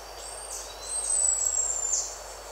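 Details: Buffy-headed marmoset giving a contact call, recorded at close range: one long, thin, very high whistle holding an even pitch, with fainter high tones around it and a quiet natural background.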